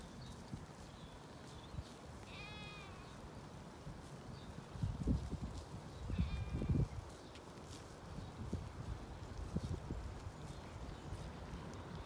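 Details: On a regenerative farm in County Kilkenny, Ireland, ewes and lambs settle in their field. Two clear, quavering bleats come a few seconds apart, with rustling and handling thumps close by.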